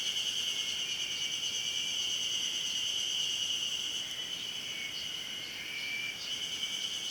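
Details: Ezo spring cicada singing on a mountain at Hayama, Nagai, on 24 May 2015; a dense, continuous chorus of shrill, pulsing buzzes with many insects overlapping throughout.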